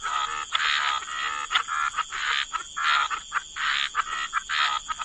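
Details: Frog chorus by the waterside in wetlands, harsh buzzy croaks in overlapping bursts of about half a second, several callers at once, over a steady high-pitched hum running throughout.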